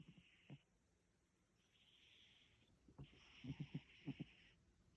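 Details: Haru, a sleeping Russian Blue cat that will not wake, gives soft breathy hisses and then a short run of low, fluttering snore pulses near the end, quiet overall.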